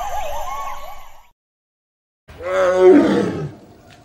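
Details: Sumatran tiger from the Harapan rainforest in southern Sumatra, Indonesia. After a wavering tone and a brief silence, one low, rough, harmonic roar swells for about a second and then fades.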